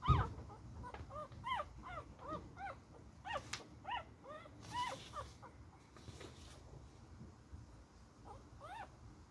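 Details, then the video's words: Beagle puppy during play-fighting gives rapid high yelps and whiny yips. The arched, squeaky notes come in quick runs of about two per second, with a thump at the start and a rumbling background. "My little fighting beagle puppy"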